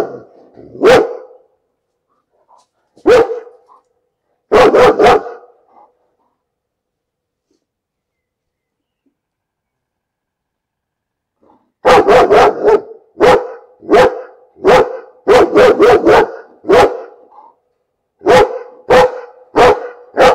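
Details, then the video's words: Repeated dog barking in bursts: scattered single barks and doubles early on, a long quiet stretch, then a fast run of many sharp barks over the final eight seconds, some in tight clusters. "Bellender Hund - Hunde bellen"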